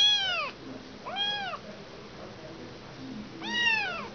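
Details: Motherless kitten crying: three clear, high meows, each bending up and then sliding down, the first two close together and the third after a pause of about two seconds.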